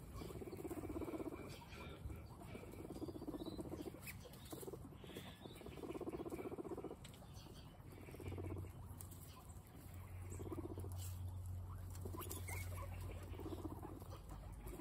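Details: Several guinea pigs eating a snack calmly: bursts of fast crunchy chewing, about four bites a second, pausing and resuming every couple of seconds, with a low steady hum underneath.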